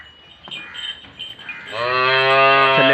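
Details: A Jersey Friesian cow at Bunga Hayat in Pakpattan lets out a sustained, rich, low moo that swells in after faint high chiming and holds steady at full strength to the end.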